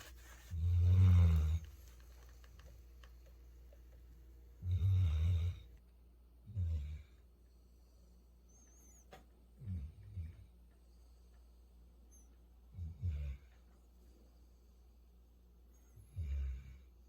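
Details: Sleeping Labrador Retriever Futu of Jeju gives a run of low snores: two long, heavy rumbles near the start, then shorter and softer snorts spaced roughly every three seconds, fading in strength, indoors in a quiet room.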